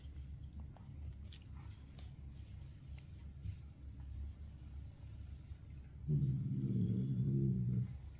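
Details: Maine Coon cat Dexter, a grumpy father trying to scare his kittens away, gives a low rumbling harmonic growl lasting under two seconds after a stretch of quiet indoor background.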